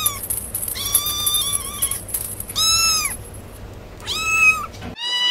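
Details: Kitten meowing in an ASMR recording: a level held meow, then two louder arched cries about a second and a half apart and a final short mew, over a faint high hiss.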